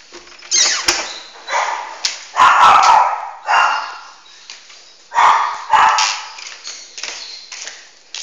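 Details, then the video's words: Two Pomeranian dogs, one named Max, filmed at home on an Android phone; sharp yips and barks in bursts, about six loud outbursts over eight seconds, with music, applause and a woman calling the dogs and scolding Max. "Two Pomeranian Dogs"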